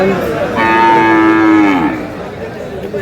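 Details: Sahiwal bull calves at a cattle market in Noakhali, Bangladesh: one long, loud, harmonic moo lasting over a second, steady then sliding slightly down, over a background murmur of market chatter.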